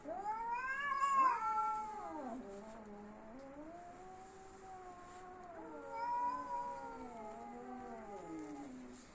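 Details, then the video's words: Domestic cat in an angry standoff before a fight, giving long drawn-out yowls that rise and fall in pitch, the loudest near the start, then a quieter wavering howl later; faint background hiss. "বিড়ালবিড়ালের যুদ্ধ"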